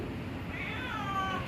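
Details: A domestic cat gives one drawn-out meow that slides gently downward over about a second, over a steady low household rumble.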